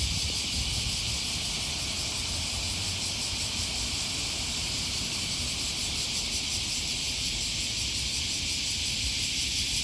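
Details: Cicada chorus along the Okawa River in Osaka, Japan, near Sakuranomiya Park on an early August morning, heard as an unbroken shrill buzzing wall of sound with soft throbbing, while distant traffic murmurs underneath.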